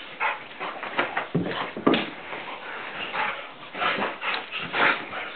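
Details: Blue Nose Pit Bull named Tantrum roughhousing with its owner indoors; rough, noisy whimpering and grunting bursts come in quick irregular runs, with a sharper cry near the two-second mark and brief human exclamations.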